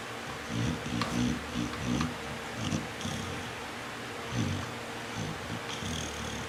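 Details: Jade, a pet pit bull, snoring while asleep: low, rough, rasping breaths come in uneven bursts a second or so apart, with a faint steady background hum between them.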